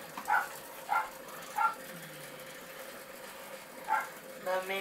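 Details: Miniature Pinscher puppies from a Hungarian litter at 15 weeks old, offspring of show champions Arco Iris from Hungary Domingo and Bácskautcai Vénusz, giving five short, high, tonal yelps in irregular bursts, three close together then two more after a pause, over a steady background hum.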